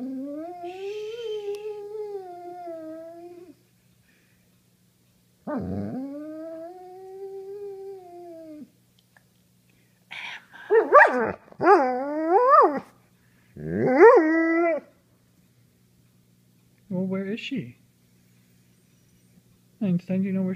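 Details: House dog howling and crying in response to people calling out loudly to each other; two drawn-out arched howls, then several short, broken yips and whimpers with gaps between them.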